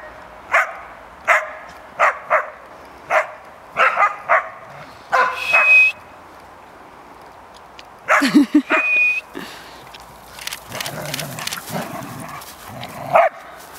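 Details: Three dogs, Cash, Vinnie and Champ, at play while Cash sets the younger pair straight. A regular run of short yelps about every half second, a thin whine, then a busy scuffle of yelps and growly noise and one late yelp.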